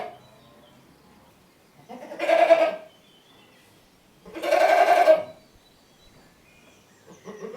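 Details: Goat bleating: two loud, wavering, nasal bleats, each under a second long and about two seconds apart, with faint quieter sounds in between.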